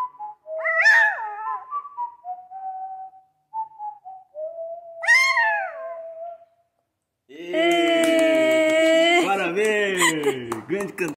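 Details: Small dog "sings" along to a TV show's opening music, giving wavering whistled howls with sharp upward-then-falling sweeps around its first and fifth seconds, then rich, steady sustained music takes over for the final four seconds.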